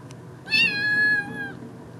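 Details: Female kitten calling for attention: a single long, loud meow of about one second, bright and steady in pitch and easing down at the end, over a low indoor hum.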